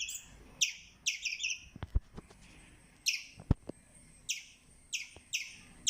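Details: Squirrel chirping in high, piercing stuttered bursts with pauses of about a second between groups. Several sharp low knocks or taps are heard between the bursts.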